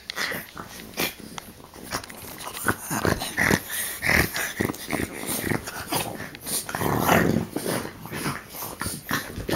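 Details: Three French bulldogs play-fighting and biting snort and wheeze in rough, breathy bursts, with low growls mixed in.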